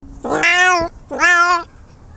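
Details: Kitten making strange noises: two drawn-out, bright meows, each rising then holding steady and falling slightly, the second after a short pause, in a quiet room.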